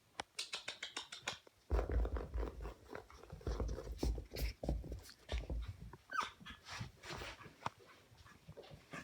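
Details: Cream Pomeranian puppy giving soft whimpers and low grumbling growls in irregular bursts, mixed with scuffling and scratching noises.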